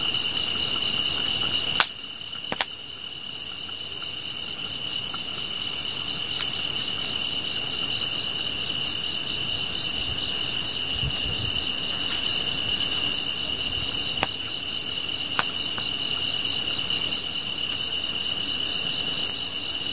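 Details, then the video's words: Chorus of grass insects by a fire: a high, level, continuous trill overlaid with very high, clipped chirps repeating regularly about three times a second, with occasional sharp crackles and a soft low thump. "풀벌레 소리"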